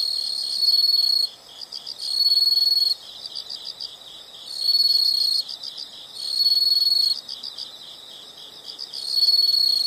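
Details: Insects calling together: a constant high, rhythmic pulsing chirp beneath regular loud trill bursts of about a second, recurring every two seconds or so.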